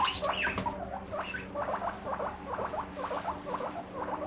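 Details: Pet guinea pig emerging with squeaks when the fridge door opens, knowing favourite vegetables are inside; a run of short, repeated chirping squeaks, roughly three per second, with faint household hum beneath.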